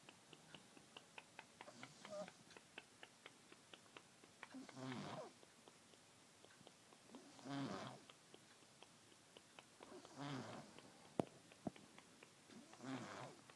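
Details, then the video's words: Copper, an orange cat, snoring while asleep and dreaming indoors: soft breathy snores every few seconds, with quick faint clicking suckling noises in between. "Snoring suckling orange cat"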